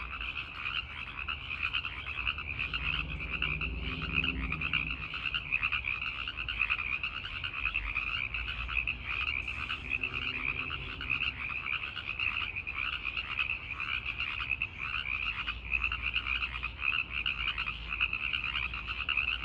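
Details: Tree frog males chorusing in the night to attract females, an even, sustained rattle of quick pulsed calls at two pitch levels, with a brief low droning sound twice in the background.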